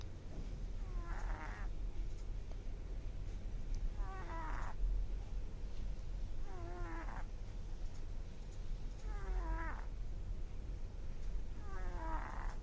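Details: ['A sleeping kitten, described as snoring, makes short squeaky tonal sounds that slide downward. Five of them come at steady intervals of about three seconds, over a soft low background hum.']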